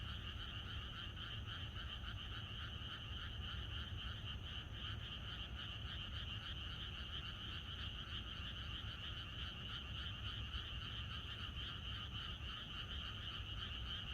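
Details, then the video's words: Frogs chorus through a Korean country night ahead of rain, many voices merging into a steady, finely pulsed trill that holds unchanged for the whole stretch over a soft low rumble. "개구리들의합창#비가 오려나?이것이 자연의 소리 ~개구리들의 합창"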